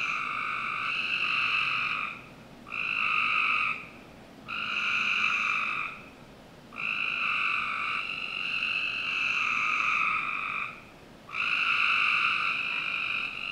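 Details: Summer-night frog chorus from a home backyard in Northern Virginia, with loud, rich buzzy bursts lasting one to three seconds, separated by brief quiet gaps, some calls running together.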